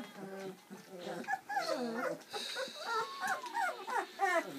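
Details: Seven Bernese Mountain Dog puppies, born on Valentine's Day 2013, squeak and whimper during their first feed on Mothering Sunday; high, wavering, bending whines overlap in quick irregular bursts, with soft murmuring voices underneath.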